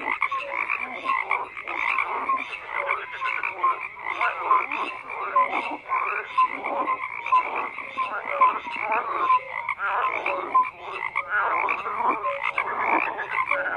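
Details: A crowd of frogs keeps up a steady rasping chorus, bursts of harsh croaks rising and falling about once a second across the whole stretch, with brief piping notes here and there.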